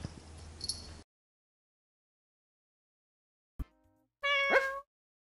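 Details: Two domestic cats meeting face to face for the first time after two weeks of scent introduction; one short meow rises and then falls, heard after brief bits of room noise and stretches of silence.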